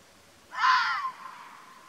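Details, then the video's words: Arabian fox, locally called mountain fox, in the wild in Oman: one harsh, raspy, breathy call of about half a second, broad and noisy, rising sharply and fading, against a quiet background with no other sounds. "الثعلب الجبلي | تعرف واستمع الى صوت الثعلب الجبلي"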